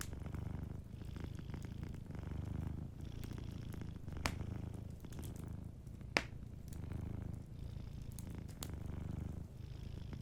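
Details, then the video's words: Gentle purring of a cat asleep by a fireplace: a deep rhythmic rumble rising and falling roughly every second, broken by faint crackling and a couple of crisp wood pops. "Warm Fireplace Ambience with a Sleeping Cat 🐱💤Fireplace & Soft Purring"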